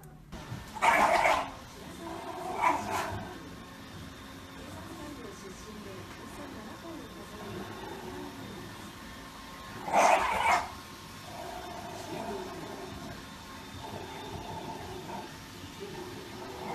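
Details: Shiba Inu dog giving a few loud harsh bark-like calls, two short bursts near the start and one strong burst about ten seconds in, with quieter murmuring and room noise between them.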